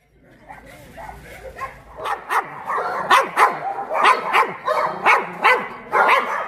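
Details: Dogs at Mindeulle Shelter, a shelter for abandoned dogs in Yangsan, barking in sharp, overlapping bursts about one or two per second, quiet at first and then growing loud and steady, over a low murmur of background noise.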